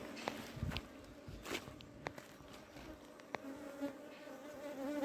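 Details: Honey bees humming steadily as a wild colony is settled into a hive box, with a continuous low drone and occasional sharp knocks from handling.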